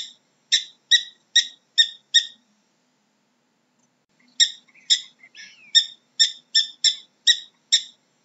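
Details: Prairie dog giving sharp, harmonic chirps in quick bursts, about two per second: a run of five, a pause of two seconds, then a longer series with a soft, sliding squeak mixed in; quiet background.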